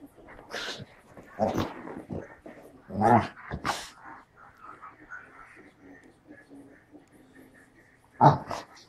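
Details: A male English Springer Spaniel 'talks' in loud growly grumbles and yowls, with soft whines between them.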